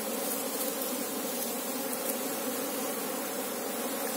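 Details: Active Apis cerana honey bee colony while the queen is being sought; a continuous droning buzz of many bees, even in loudness, with stacked low tones and no pauses.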